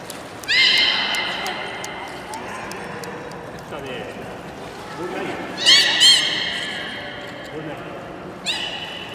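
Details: Beluga during the 16:30 public training session at Port of Nagoya Public Aquarium, Japan, on 24 March 2018: three short, bright, harmonic squeals, the first near the start and two close together later, over steady background crowd murmur.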